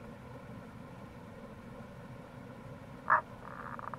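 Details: Tago's brown frog (Rana tagoi) calling in April by the Kamo River near a gorge in Itoshima, Fukuoka, Japan: one short, sharp mid-pitched croak, then a faint rapid pulsed rattle, over a steady low background rush.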